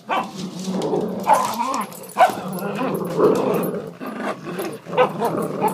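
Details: Play growls from a big dog and Angus, a little foster terrier, wrestling over a tug-of-war toy in an office alongside The Dread Pirate Windlass. Continuous rough growling is broken by a few sharp bark-like yelps.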